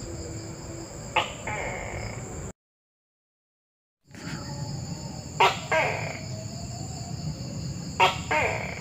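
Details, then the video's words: Tokay gecko calling: loud, abrupt paired croaking syllables repeated a few times, each pair a sharp burst then a second longer note, over steady hiss and a high electronic whine, with a brief silent gap. "Suara Tokek"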